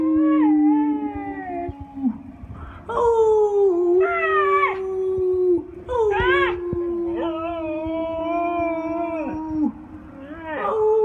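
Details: Pet Siberian Husky howling along with its owner during a music break: a long, level mid-pitched howl runs beneath a second, higher, wavering voice that rises and falls in repeated swells, with short breaks between phrases.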